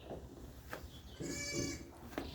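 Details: A sheep at Chitrapuri Agro, back in its raised shed after returning home from pasture, gives one wavering, harmonic bleat of about half a second. People talk nearby and birds chirp in the background.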